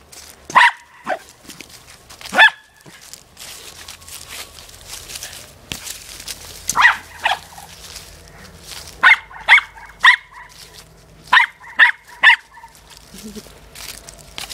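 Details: A female corgi at play with her soccer ball barks in irregular bursts. Single yaps come first, then quick runs of two or three sharp barks, with quiet scuffling and thuds of the ball between them.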